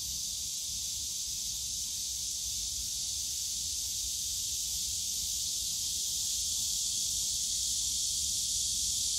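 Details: Cicadas on a summer day in the bamboo grove of Yongsan Family Park: a dense, unbroken high-pitched buzzing drone that holds steady and grows slightly stronger toward the end, over a faint low rumble of park noise.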